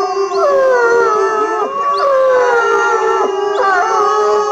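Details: Captive timber wolves howling at Asahiyama Zoo, Japan: several overlapping long tonal howls, some sliding down in pitch and others held steady, with new voices joining about every one to two seconds in a dense chorus.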